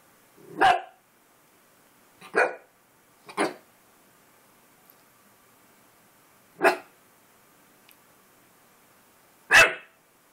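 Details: Puppy seeing himself in a mirror for the first time, recorded indoors on July 25, 2012, gives five sharp, loud barks spaced irregularly over ten seconds, with quiet pauses between them and no other sounds.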